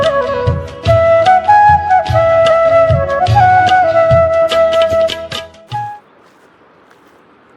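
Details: A melodic flute tune with steady rhythmic percussion plays for about six seconds, then fades into quiet background hiss, with no animal calls.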